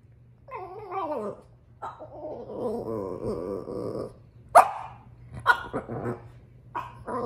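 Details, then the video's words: Upset female French Bulldog complaining about her toy: a wavering, warbling whine slides downward, then a long grumbling growl-whine, followed by a few short sharp barks near the end over a low steady hum. "French bulldog is upset about her toy"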